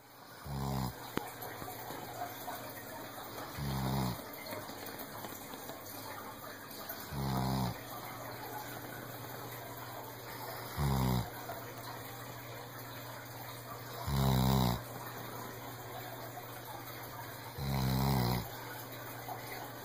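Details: A senior rescued Weimaraner snores with low, rumbling, throaty rasps, each under a second, in slow, steady breaths roughly every three to four seconds, with a faint steady hum in the background.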